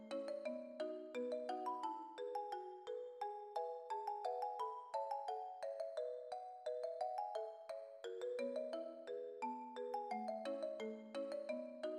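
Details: Bright mallet-percussion music with marimba-like notes in a steady, repeating melody, and no animal sounds.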